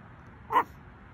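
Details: Taco, a 3 lb Chihuahua on guard in grandma's yard, lets out one short, sharp, high bark.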